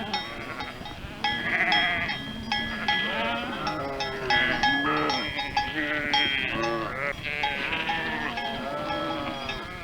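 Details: Sheep flock with ringing bells, several animals bleating in wavering, overlapping calls while clear repeated bell tones chime in the background without a break.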